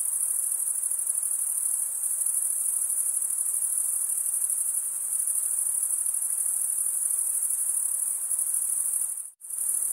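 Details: Chorus of chirping crickets, males rubbing their wings together. A constant piercing high-pitched trill runs unbroken until a sudden brief silence near the end, then resumes at the same pitch.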